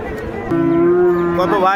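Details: Heifer at a Joypurhat cattle market in Bangladesh letting out a loud, level, sustained moo of about a second, rich in overtones, rising slightly at the end over background market noise.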